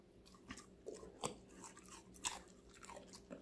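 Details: Short burst of a five-month-old female Golden Retriever, Connie, chewing vegetables in a room, about one crunchy bite per second, with a few sharper snaps and a steady low hum.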